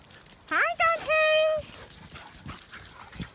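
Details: Silken Windhound on the beach giving a rising, whining yelp followed by a long, steady high whine lasting about half a second, with faint murmuring in the background.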